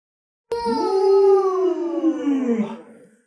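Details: Lolo, a pet Alaskan Malamute, gives a single long howl. It is a smooth, harmonic, drawn-out tone that holds steady and then slowly slides downward before fading over about three seconds. The room is otherwise quiet.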